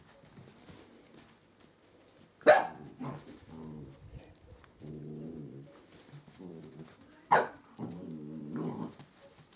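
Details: Samoyeds, a mother and her puppies at the White Wolf kennel: two sharp loud barks about five seconds apart, each followed by drawn-out harmonic whining and soft grumbles indoors.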